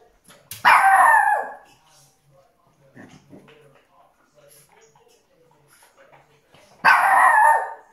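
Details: Teddy, a Shih Tzu, gives two loud, harsh, drawn-out vocal outbursts several seconds apart, a tantrum because his favourite blanket is being washed in the washing machine.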